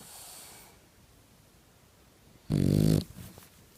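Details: Sleeping Boxer dog indoors, snoring: a soft exhaled breath at the start, then a single loud, low, rumbling snore of about half a second.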